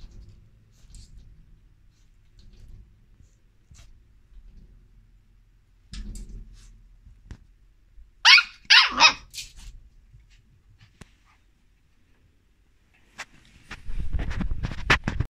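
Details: Corgi puppy giving a burst of three or four sharp, high yapping barks near the middle, after quiet soft shuffling; later comes low rumbling scuffling with scattered clicks.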